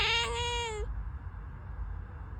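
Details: Pet cat uttering a single long, clear meow that holds a steady tone then dips slightly at the end, followed by quiet room hum.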